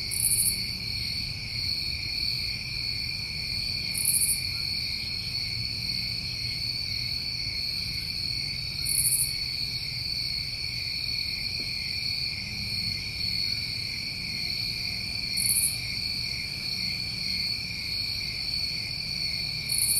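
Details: New England summertime crickets at night: a steady, unbroken high-pitched trilling chorus in several layered bands, with a brief hissy higher burst recurring every few seconds over a faint low rumble.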